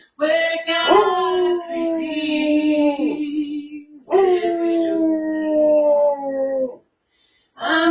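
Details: Basset Hound jumping onto a recliner and howling along while its owner sings at home, caught on an indoor camera: long, steady, slightly falling wavering howls of about three and two and a half seconds, separated by a pause.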